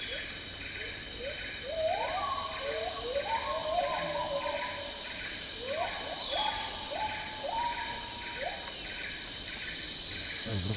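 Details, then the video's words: Song of the Agile gibbon (Hylobates agilis) in tropical rainforest, Malaysia: accelerating rising whoops build into a run of stepped, sweeping notes, then a second run, over pulsing insect trills and a steady high drone. "Agile Gibbon Song & Calls"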